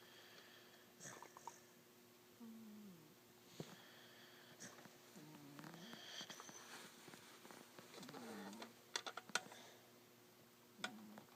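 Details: Peanut the boxer dog, asleep, snoring: soft wheezy snores recurring every two to three seconds, each a short low rasp, with faint indoor room noise between breaths.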